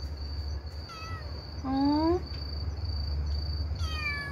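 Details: Motherless stray kitten crying to people through the night: a short high mew, then a louder rising meow with clear harmonics, and another descending mew near the end, over a steady low hum and a thin electrical whine.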